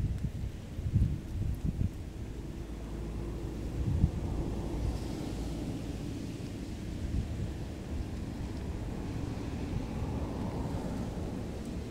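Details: Steady low wind rumble buffets the microphone outdoors, with a few louder gusts.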